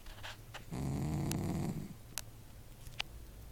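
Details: Sleeping house cat gives a single harsh snore lasting about a second, a grainy low rasp, followed by quiet breathing and a few faint clicks.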